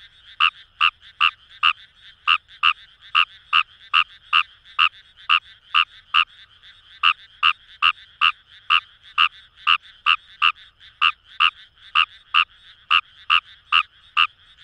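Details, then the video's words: In rice paddies of Itoshima, Fukuoka Prefecture, Japan, Fejervarya kawamurai gives a long run of rapid, evenly spaced croaking pulses, roughly two or three per second, over a faint background chorus of more frogs. "Wild Frog Call | ヌマガエル"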